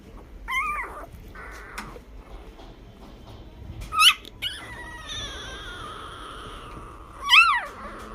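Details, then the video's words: Newborn Labrador Retriever puppy yawning: short high squeaky whines at the start and end, with a sustained thin whistling tone in the middle, over quiet background rustle. "new born yawning"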